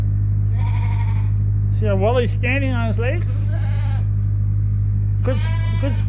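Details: Sheep at Ewetopia Farms waiting to be fed during daily chores give three wavering, quavering bleats, the middle ones loudest and trembling, over a steady low electrical hum.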